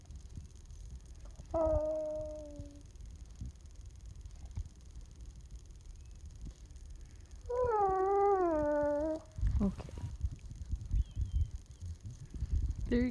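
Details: Steeler, a young talkative puppy, makes Chewbacca-like noises indoors when petting stops. Two long, tonal, nasal whines, the second louder and wavering up and down for nearly two seconds, are followed by a thump and a brief murmured human voice.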